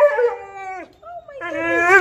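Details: A vocal, playful 10-month-old husky puppy at an animal shelter sings in long, tuneful howls, holding a steady note, then rising into another.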